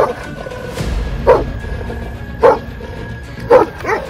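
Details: Urfa Gureğh shepherd dog barking as a man approaches to try to pet its head: three short, deep barks roughly a second apart, over tense background music.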